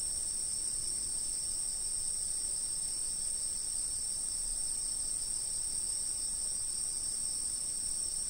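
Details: Continuous insect chorus captured by a fixed camera: two layered, unbroken high ringing tones hold steady throughout with no pauses, over soft low rumble.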